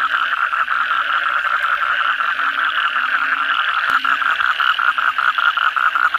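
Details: Kodok bangkong frog chorus on a night after heavy rain, continuous overlapping rapid croaks at a steady pace, with an occasional sharp click.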